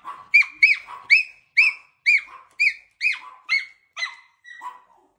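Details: A Miniature Schnauzer, hearing its owner pull up, gives high, squeaky whines like a squeaky toy, about two a second, greeting its owner.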